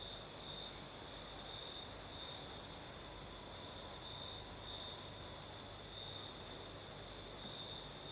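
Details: Crickets singing at night in southern Crimea during a night breeze: a steady, unbroken high trill holds throughout, with a fainter, higher shimmer above it and a soft hiss of breeze underneath.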